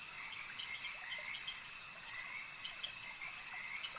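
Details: Lakeside frog chorus with overlapping quick croaks and chirping notes, layered on a constant high-pitched insect drone.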